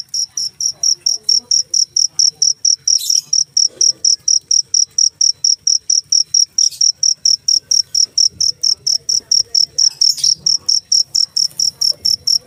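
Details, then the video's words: Cricket chirping nonstop, some fifty high, sharp chirps in even rhythm at roughly four per second, with occasional faint scrapes and rustles in the background. "suara jangkrik"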